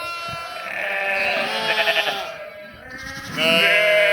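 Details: Flock of sheep with lambs, 11/5/2026, overlapping bleats in near-continuous chorus, one call shaking with a rapid tremolo, ending in a loud, clear, high baa.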